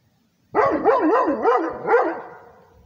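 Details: Rhodesian Ridgeback guarding its territory gives one drawn-out vocal of about two seconds, its pitch rising and falling in steady waves before fading into a trailing tail.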